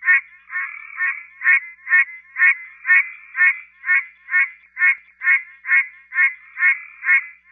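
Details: A Pine Barrens treefrog in Georgia calls with short, nasal, honking 'quonk' notes like a muted horn, roughly twice a second in an even, unbroken run, nothing else audible behind.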